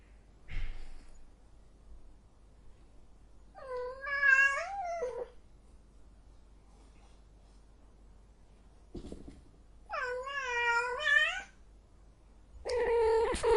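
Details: Cat in heat giving three long, drawn-out wavering yowls, each rising and falling with rich harmonics, separated by several seconds of quiet indoor silence.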